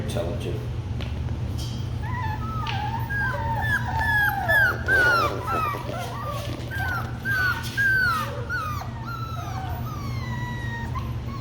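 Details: Labradoodle puppies from the Kiwi crew in a chorus of thin, descending whimpers, brief cries repeated roughly twice a second and densest in the middle, with a person talking softly and a constant low hum.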